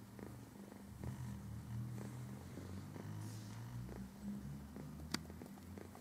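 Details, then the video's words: Relaxing house cat shedding its winter fur; continuous deep purring with rhythmic low pulses, quiet and close, and a single sharp click near the end. "Katze entspannt sich"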